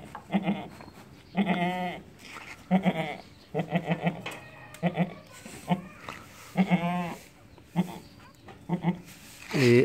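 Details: Beetal goat kid bleating: a series of wavering, harmonic-rich bleats, each about half a second, repeated every one to two seconds, with a higher-pitched call near the end and faint background noise.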